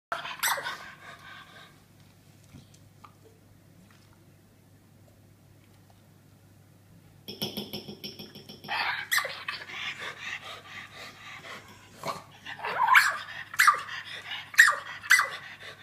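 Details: A female Australian Terrier with a birth defect that stops her barking gives short, high, wheezy squeaks instead of a bark, getting higher the harder she tries, indoors with a low hum.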